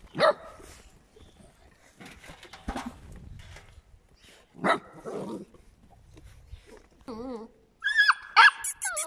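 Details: Eight-week-old puppies from Scarlett's litter mixing sharp yaps with a wavering, trembling whine and ending in loud high-pitched squealing yelps.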